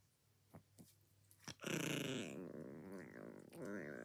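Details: A chihuahua growling while eating breakfast indoors: after a few soft clicks, a sudden sustained rumbling growl with a wavering, tremulous tone continues steadily to the end.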